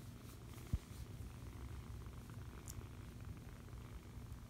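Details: Foster kitten held and cuddled, giving a steady deep purr, with a single sharp tap near the start and a faint high click later.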